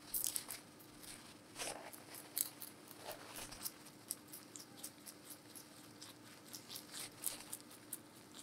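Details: Giant rabbit named Meonji at Alpaca World eating vegetables, recorded close up for ASMR: crisp crunching bites and tearing of leaves in uneven bursts, with a quiet steady hum in a small indoor space.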